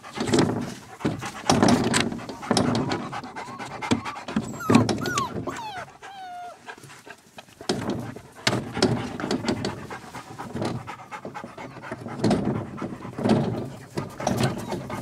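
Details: Puppies at Milangimbi panting in quick breathy bursts, with a few thin, high whimper-like squeaks midway and scuffling noise throughout.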